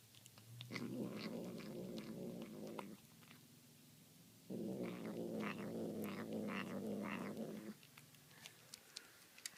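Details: Domestic cat eating tuna and making demonic sounds in a small room: a harsh, low, grating growl of about two seconds, a brief lull, then a longer three-second growl, with scattered wet chewing clicks above.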